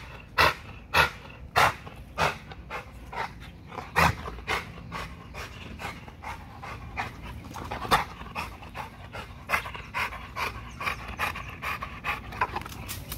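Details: American Bully pitbull-type dog in an extreme spring pole workout at Caona Bullys, panting hard in quick, regular gusts near a hundred a minute, stronger puffs at the start, over a steady low hum.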